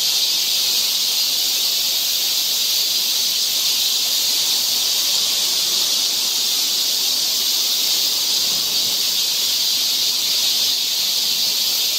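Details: Cicadas fill a summer forest trail in Seoul, Korea with a constant high-pitched whirring that never lets up across twelve seconds.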